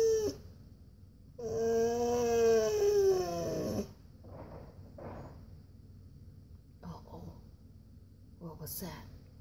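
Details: Male Siberian husky indoors whining for a walk; one drawn-out wavering whine, then several faint short huffs and soft sounds in quieter surroundings.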